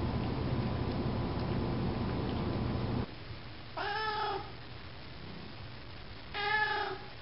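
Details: Domestic cat around a meal of wet cat food: three seconds of steady chewing and background hum, then two clear, tonal meows, the first drawn out and slightly falling, the second louder, about two and a half seconds apart.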